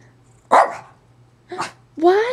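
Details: Pet dog Zoey inside a small room gives two short, loud barks about a second apart, followed by a longer rising voiced sound, as a person speaks nearby over a steady low electrical hum.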